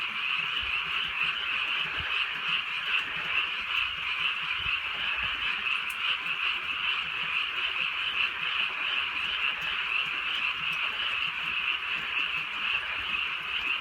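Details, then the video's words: Countryside night in light rain, a massed frog chorus croaking continuously, many voices blending into a bright, trilling shimmer with no pauses, soft patter of rain in the background. "개구리 소리"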